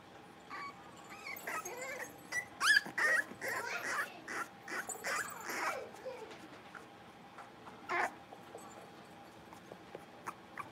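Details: Playing Cavalier King Charles Spaniel puppies, five blenheim littermates in a home pen; busy overlapping squeals, yips and whiny cries crowd the middle seconds, with one sharp bark near eight seconds and soft squeaks after.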